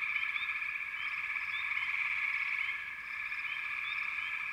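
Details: Many frogs calling together in a continuous shrill, buzzing chorus, with brief upward-sliding chirps scattered over the top and a slight dip in loudness near the end.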